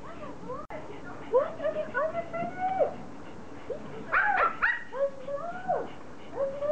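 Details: Pomeranians greeting their owner in a happy reunion after a vacation: high, arching whines that rise and fall, packed closely with short yips, with brief human voices underneath.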